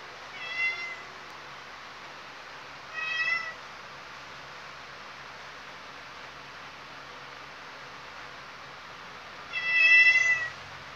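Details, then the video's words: Khao Manee cat giving three short meows spaced several seconds apart, each a bright, slightly wavering mew with rich overtones, the last one longest and loudest, over a quiet, steady room hush. "KHAO MANEE CAT SILENT MODE"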